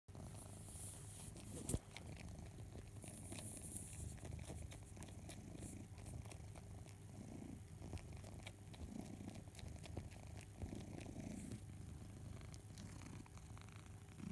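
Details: Barnaby, a house cat, suckling his beloved teddy bear Boo: a low, steady purr with rhythmic swells, overlaid by soft wet clicking from the suckling and one sharp knock near the start.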